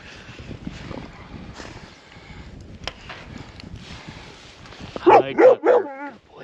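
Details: Ranch dogs, including the young pup Tank, taken between the dog run on a snowy, cold day: muffled movement and voices at first, then three sharp rapid barks near the end followed by a wavering whine.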